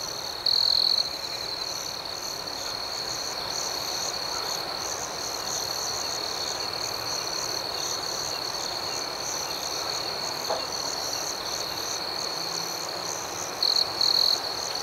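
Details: Continuous high cricket trill at night with a faint pulsing chirp layer, louder short bursts near the beginning and end, and a single faint click midway.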